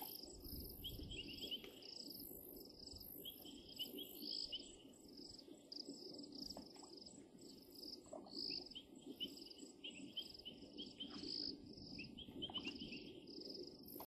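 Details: Painted reed frogs give short, shrill, whistled peeps repeated every second or two over a background hum, recorded at Djuma PGR on 1-16-23.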